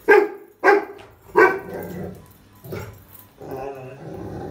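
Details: Rottweiler puppy reacting to a trolley bag with three loud, deep barks about half a second apart, then softer grumbling, whining vocalizations trailing off.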